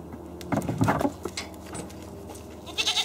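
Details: Domestic goat on a farm, a dominant billy described as bullying others; short wavering bleats around the half-second to one-second mark, then quieter rustling and a brief high squeak near the end.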